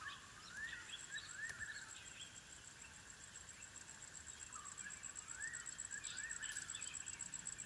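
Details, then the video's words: Lycaon pictus pups calling at the den: short, arching whines repeated in pairs and singles, each swelling up then dropping, set against a constant shrill insect hum and faint chirping birds. "The sounds of African wild dog puppies at their den"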